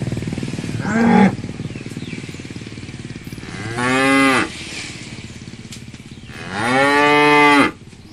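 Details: Cow mooing three times: a short low moo, then two longer, drawn-out harmonic moos about three seconds apart, the last the longest and loudest, over a faint background hiss.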